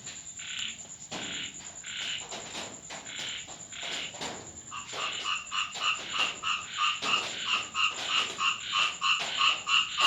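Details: Frogs heard at night during rain at a home in Thailand; slower, scattered croaks at first, then a fast, regular run of nasal pulses several per second, with rain-like clicks and a steady high hiss.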